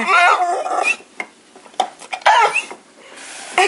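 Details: Domestic dog, trained since puppyhood in communication, vocalizing on command instead of barking: two loud, wavering, moan-like voiced bursts with rising and falling tone, the first lasting nearly a second, the second shorter, with a brief sound at the end.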